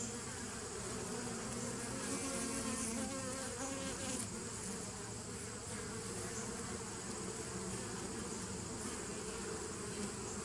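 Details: A 2017 nuc colony of bees hums on 27 September 2018, making a dense, continuous buzzing drone with strong low bands and an even, unbroken loudness throughout.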